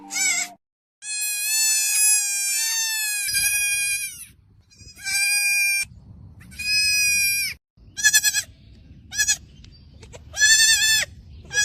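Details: Goat kid calling repeatedly: a long drawn-out high bleat lasting over two seconds, then shorter quavering bleats every second or two, with faint low rumbling noise between calls.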